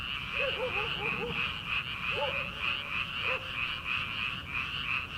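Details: Frogs in paddy fields at the start of summer, before transplanting: a pulsing high chorus of croaks overlaid by a burst of several lower, curved calls early on, then a few more scattered ones.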